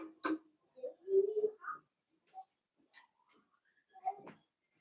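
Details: Five blenheim Cavalier King Charles Spaniel puppies, born on New Year's, playing with their mother Paris indoors in a home puppy pen; short squeaky whines and soft grunts come in scattered bursts, with a sharp click near the start, in a quiet small room.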